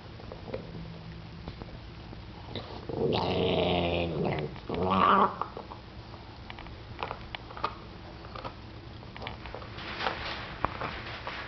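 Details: Boston Terrier, seven years old, growling indoors while a ten-week-old puppy tries to take its bone; two short rumbling growl bursts, the second ending in a higher snarl, then faint rustling.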